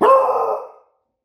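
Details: Smudge, a female Beagle, on guard duty at home gives a single loud, hoarse bark lasting under a second, a harsh burst that fades quickly into silence.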